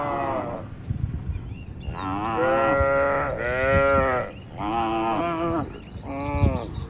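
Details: A herd of dozens of cows in a large farm barn, resting and moving about, gives a run of four or five loud, harmonic moos with bumps and shuffling underneath.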